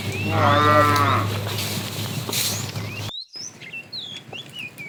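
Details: Tame cows roaming a road looking for food; one loud harmonic moo swells and fades over about a second, over a steady low hum, then after a cut, scattered chirping bird calls.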